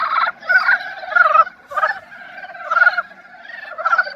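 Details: Breeding-season love song of Dybowski's brown frogs: short rattling pulsed croaks in about six bursts, roughly one every 0.7 seconds, nasal and harmonic-rich, with fainter callers in the background.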